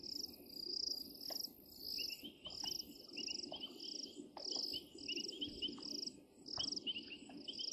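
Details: At Djuma, 16 January 2023, painted reed frogs give bursts of brief, bright notes in quick runs, set against continuous higher buzzy pulses and a low murmuring background noise.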